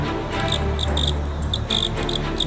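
A cricket gives short, bright, high-pitched chirps in quick bursts over a low background hum.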